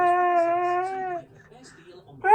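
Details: Pet Siberian Husky at home humming, too lazy to sing properly: a steady, even tonal hum held for about a second, then a quiet pause and the start of another rising note.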